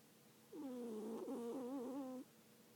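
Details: A cat snores in its sleep, giving one long, wavering, hum-like tone lasting under two seconds. The pitch wobbles gently before cutting off against a quiet indoor background.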